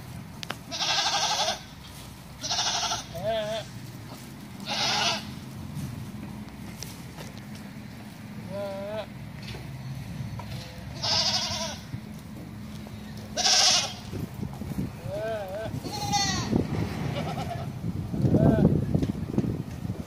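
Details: Bishi goats, part of a group of nineteen being sold, bleating repeatedly: harsh, wavering calls spaced a second or two apart, some higher and tremulous, with low rumbling and handling noise and one deep groan near the end.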